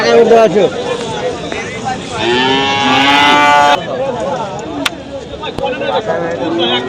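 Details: Cattle at the Hasukhali cattle market on a Friday in 2025, where animals are bought and sold. A long, drawn-out harmonic moo swells in the middle, surrounded by busy market chatter, men's voices bargaining and brief clatters.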